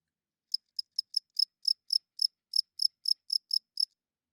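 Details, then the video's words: Cricket chirping at night: about fourteen short, high, pulsed chirps in quick succession, each a bright trill with a fainter overtone above, then silence at the end. The background is otherwise still. "Cricket Chirping Sounds - Cricket klinkt 's nachts luid"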